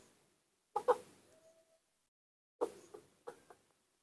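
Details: Baby monkey Nomi, a newborn raised by hand after refusing milk that day, calling its mother with soft paired squeaks, a double chirp, then a pause of nearly two seconds before two more short clustered calls.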